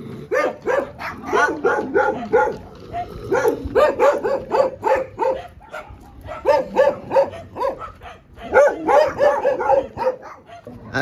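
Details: On a street walk where a Dogo Argentino, Rocky, encounters street dogs, rapid barking runs almost without break, loud clipped barks repeating about three per second in long volleys separated by brief lulls.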